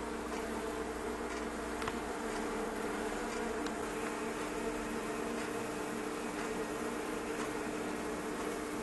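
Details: Honey bees by the thousand packed inside a fireplace stove give a thick, continuous buzzing drone, layered and unbroken, with a steady low tone underneath and a few faint clicks.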